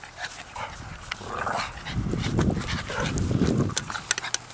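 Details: A Boston Terrier growls and snuffles while playing with an American Staffordshire Terrier, rough low rumbles and short sharp bursts.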